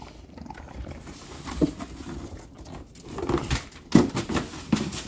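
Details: Teething bulldog puppy in a tantrum, letting out short, low grumbling yelps and growly bursts a second or so apart over background shuffling in a small room.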